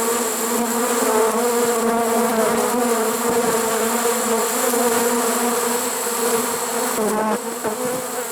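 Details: Honey bee swarm caught in a swarm trap late in the season, 1 September 2019: an even, continuous mass buzz of many bees with a steady low hum and a faint dip near the end.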